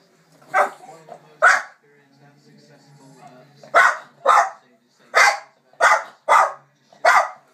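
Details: A small Jack Russell Terrier barks at dogs on the TV, giving sharp, high barks in quick, uneven bursts, with a faint voice behind.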